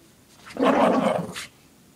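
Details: Shih Tzu named Lacey growling while playing with her pink puppy blanket indoors, shaking her head back and forth; one rough, throaty growl lasting under a second, rising then fading, in a quiet room.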